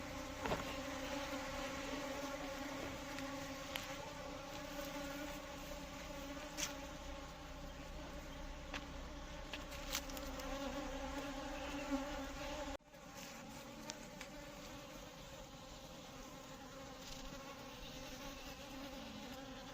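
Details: Asian honey bee buzzing: a steady droning hum with stacked harmonic bands, broken by a brief drop near the middle, with scattered faint clicks.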